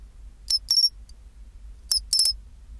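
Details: Pine cricket (chinchirorin) singing at 24°C: two groups of high, bell-like metallic chirps about 1.4 seconds apart. Each group holds a short tick followed by a quick rolling trill of three or four pulses, over a faint low hum.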